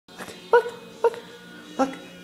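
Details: Pet dog chasing a laser pointer indoors, giving three short high whimpering yips about half a second apart, each with a bright tonal pitch, over a steady faint hum.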